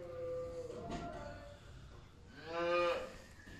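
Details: Holstein dairy cows, black and white, at a farm with newborn calves: a short low moo at the start, then a second louder, nasal moo near the end with a clear ladder of overtones, while a man calls to the animals in Turkish.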